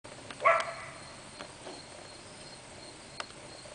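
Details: Mr. Dex, a dog, excited to be outside roaming in the sunshine after days of rain, gives a single short, sharp bark early on, followed by quiet outdoor background with faint ticks and rustles.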